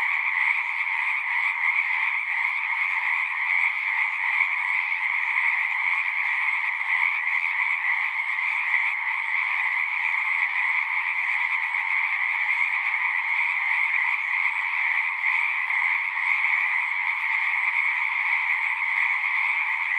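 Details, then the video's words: Many frogs singing together in a continuous, even chorus of overlapping trills, a bright upper band over a softer lower one, with no pauses and no other clear sounds. "One hour of singing frogs."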